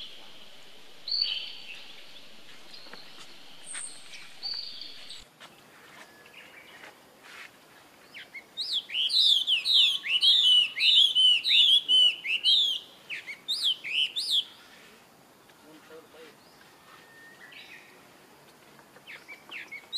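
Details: A baby monkey calls its older brother for help. Faint, thin sounds open the recording. A burst of loud, rapid, arching squeals follows, then fades to scattered quiet cries over background hiss.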